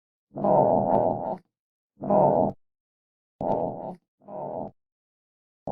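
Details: Armadillo giving a series of harsh, buzzy grunting bursts, each lasting about half a second to a second, separated by short silent gaps, five bursts in under six seconds.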